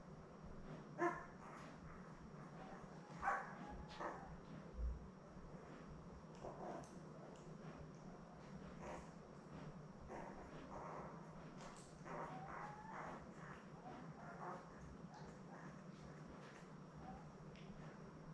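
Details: Newborn Labrador Retriever puppies, a litter of seven born May 24, 2021, with their mother Belle on an indoor live puppy cam: a few short, squeaky harmonic whimpers early on, then softer scattered squeals over a steady hiss.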